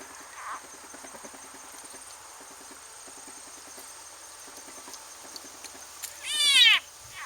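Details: Frog in a garden goldfish pond, being eaten by a snake, giving a strange cry: a loud, harsh, wavering scream of about half a second after quiet faint ticking, with a thin steady high hum throughout.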